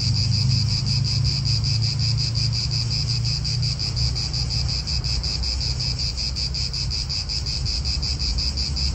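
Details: Cicadas calling in an Italian park: a steady, shrill, high buzz pulsing roughly three times per second, layered over a continuous low rumble of wind and distant traffic.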